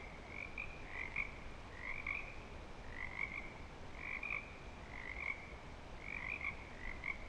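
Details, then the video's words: Frogs in breeding season at Clearwater Commons give bursts of high trilled calls about once a second, overlapping into a continuous chorus with quieter gaps between clusters and low background rumble. "Frog Song"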